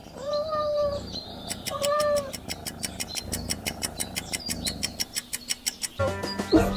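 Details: Cat meowing in a farm-animal sound quiz: two clear, drawn-out meows of even pitch in the first two seconds, followed by a steady ticking clock.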